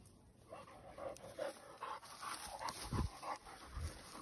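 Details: Cane Corso or Presa Canario dogs running up trees in Arcata Park; rhythmic panting breaths, about three per second, with a few sharp thumps and faint background noise.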